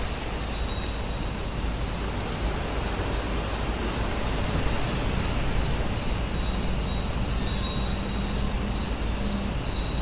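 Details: Grass insects at Wonginjae keep up an even train of high, pulsed chirps, roughly two per second, over a continuous shrill hum and low rumble, with a faint low tone late on.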